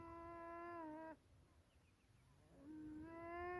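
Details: Beavers swimming around for about ten minutes, calling in what seems their most common form of communication and unbothered by the observer: drawn-out, nasal, harmonic whines, one held about a second and falling slightly at its end, then another rising whine after a pause.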